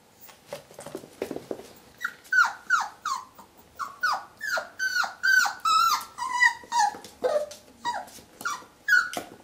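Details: Whippet reacting to its own reflection in a mirror, giving a rapid series of high, sharply falling whine-yelps, about two to three per second, each short and tonal with bright overtones, with a few softer huffs at the start.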